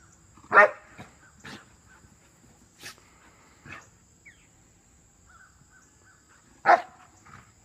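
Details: A big Rottweiler playing with a puppy in a back yard. Two sharp, loud single barks ring out about six seconds apart, with soft scuffles, thuds and a few quiet yelps in between.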